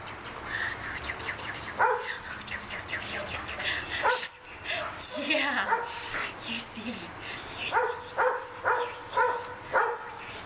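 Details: Four-year-old Pit Bull Terrier mix, a large 87-pound dog awaiting adoption at a shelter: a woman talks playfully to it, then sharp, tonal barks come in a quick run of four or five near the end.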